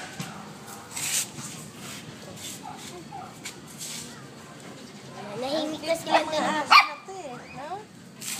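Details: Two pet Shih Tzus, Macky and Hershey, talking to each other: after quiet murmuring, a run of rising and falling whining yips and howl-like notes builds in the second half, with a person speaking Filipino throughout.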